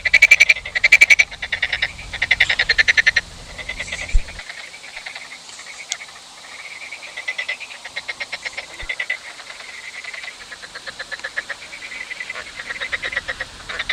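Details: Frogs croaking: loud rapid pulsed rattles in quick bursts at first, then long steady trains of fast ticking croaks, with a low rumble underneath during the opening seconds.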